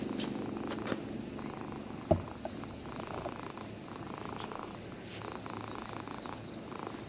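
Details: Cat that had been sleeping at a fishing port, stroked by a child who came to fish and purring with pleasure; a steady low rumbling purr runs throughout, with faint outdoor background noise and a brief knock near the middle.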